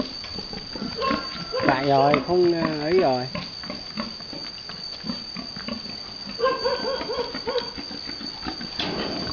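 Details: A boar mating a virgin sow, filmed among Vietnamese farmers breeding pigs: a long, wavering, harmonic squeal near the two-second mark, then softer grunting and a few short squeals, over people's voices and a constant high whine.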